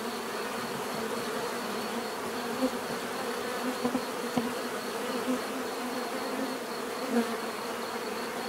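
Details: Swarm of bees droning steadily, a dense hum with a few brief louder buzzes as individual bees pass close, around two and a half, four and seven seconds in.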